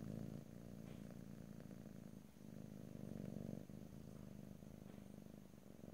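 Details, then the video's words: Close stereo recording of a domestic cat purring without any talk; low continuous rumble pulsing quickly, alternating louder and softer phases with breath pauses, faint small clicks in the background. "ASMR Cat: Purring #5"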